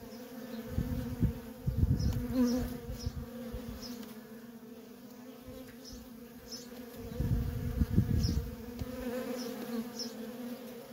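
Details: Steady traffic of worker bees at a wild honey bee colony makes a continuous droning hum, with two long surges of low rumbling noise and sparse, faint high-pitched chirps.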